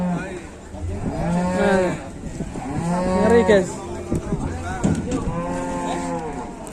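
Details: Enraged cattle giving chase: a series of loud, deep, harmonic moos, each rising then falling and lasting about a second, following one another closely, with faint talk behind.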